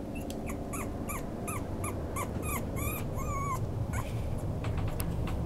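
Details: Toy poodle giving high, thin whimpers with a tonal, slightly wavering pitch. They come in quick bursts about three times a second and rise and fall in short arcs over a steady low background rumble.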